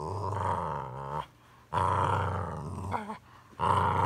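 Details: Boxer named Samson and Chorkie named Bella playing rough at home indoors; long rumbling growls in three sustained bursts about a second each, separated by short quiet gaps, one brief higher yelp-like sound between them.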